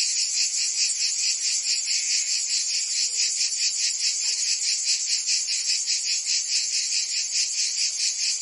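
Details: Summer cicadas singing in Provence, southern France, a thick wall of piercing high-frequency buzzing that pulses rhythmically roughly twice each second without pause.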